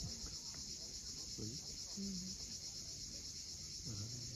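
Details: Unbroken high, pulsing insect drone of cicadas on the steep seaside cliffs of Cape Fiolent, Crimea, at sunset, with low wave sounds and a few short low tones beneath.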